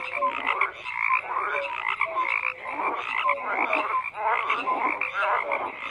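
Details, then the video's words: Frogs croaking together in a dense chorus, overlapping rattling croaks pulsing in waves with short whistled notes threaded through, steady and continuous without pause. "FROGS CROAKING"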